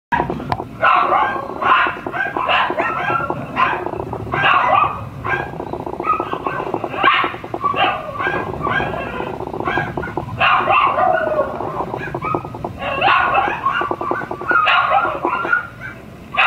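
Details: Shiba Inu puppies, a brother and sister expected to stay mame-shiba size, yapping indoors in rapid, overlapping high barks and yips, nearly continuous through the recording with brief pauses.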